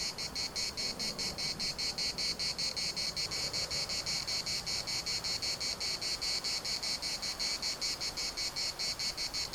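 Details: Chorus of cicadas at the municipal park in Larnaca, Cyprus, a shrill buzzing that throbs in regular quick pulses, roughly two and a half per second, unbroken throughout, over a soft low wash of wind.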